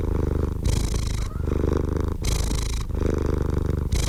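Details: Cat purring loudly and evenly, a rapid vibrating rumble whose tone shifts between a dull, deep phase and a brighter, breath-filled phase roughly every 0.7 seconds.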